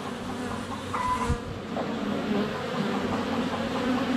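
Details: Honey bees in flight around a hive entrance on a sunny February day, filmed with a GoPro Hero 7 Black under a foot away: a dense, steady droning hum with fluctuating pitch, a brief thud near one second, faint bird notes behind.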